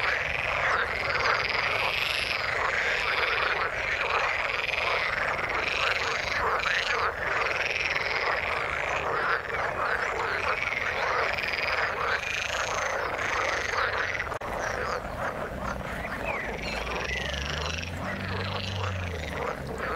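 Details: Frogs calling in the water: a dense, unbroken chorus of overlapping rasping croaks that keeps a steady level throughout, with many callers blending together and a few lower, deeper notes near the end.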